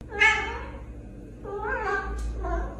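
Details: Domestic cat meowing indoors: a loud, drawn-out meow that falls in pitch, then two shorter meows, over a low steady hum.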